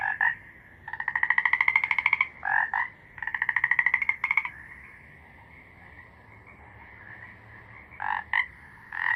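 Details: Frog calls: bursts of fast, ratcheting pulses lasting about a second each, separated by single honking croaks and quiet gaps, with the rattles coming in two clustered bouts.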